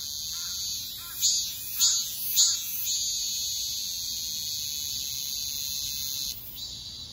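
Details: Cicada song: a few loud pulsing surges at first, then a long even high-pitched drone that cuts off near the end, leaving a quieter fading buzz.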